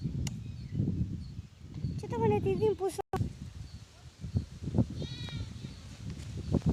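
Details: A newborn lamb gives a brief, high, quavering bleat over a low rumbling background.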